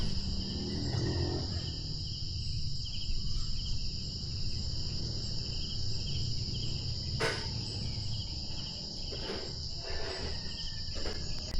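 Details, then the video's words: Crickets at a quiet mountain eco campsite in Rizal, Philippines, give a continuous high, shrill trill with a softer pulsing chirp beneath, over low outdoor rumble and a few faint knocks. "kung saan ang maririnig nyo lang ay ang tunog ng kuliglig. Alam nyo ba na maririnig nyo lang ang tunog ng kuliglig kapag tahimik ang paligid?"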